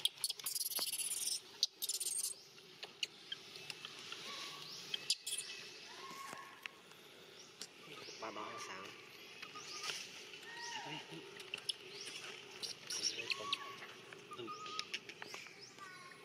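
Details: Near Angkor Wat, the monkey Eden cries again during training by Grandma Elsa. Several short, flat, tonal wails are scattered through the clip, with clicks, rustling and constant insect buzz behind them.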